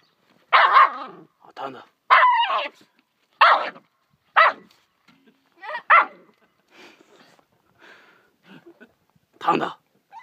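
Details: Little pet dog barking at a fish as it tears at it: a burst of sharp, irregular barks, some doubled, roughly every second or so, with gaps of soft scuffling and a final loud bark.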